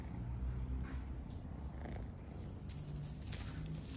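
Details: Stray kitten living outdoors purring: a steady low rumble runs through the whole stretch, with faint scattered rustles and clicks above it.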